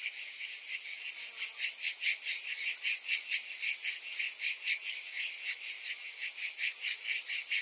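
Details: A steady summer cicada chorus, a sizzling high buzz with a rolling pulse that rises and falls every half second or so, unchanging throughout.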